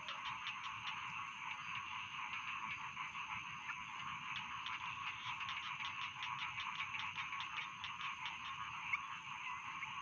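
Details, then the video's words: Massed calls of rice field frogs form an unbroken wall of quick, crackling croaks, with sharper ticking pulses scattered throughout and a continuous high whine in the background. "Suara Katak Sawah"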